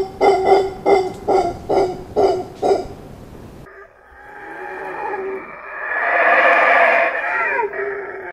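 Howler monkey calls: a run of rhythmic, barking grunts, then a swelling, rough roar.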